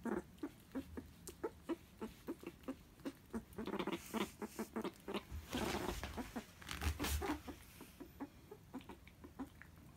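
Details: Pet meerkat kept at home, very excited while eating a favourite animal jelly snack given straight onto the floor, not in a dish: rapid, irregular short chirping pulses, about four per second, growing denser and louder midway, with some messy eating noises.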